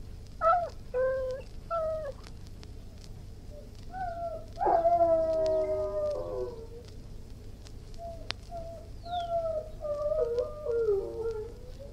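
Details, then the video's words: Irish Wolfhound opens with short whines, then a long harmonic howl holding steady before fading, and ends with wavering, falling whimpers over a faint steady hum. "Irish Wolfhound, Howling, Barking & Whining"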